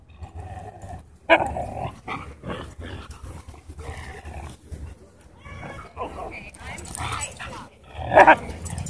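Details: Dogs scuffling at a dog park as an aggressive husky pins another dog: rough growls and snarling bursts, then a loud sharp yelp near the end, with human voices throughout.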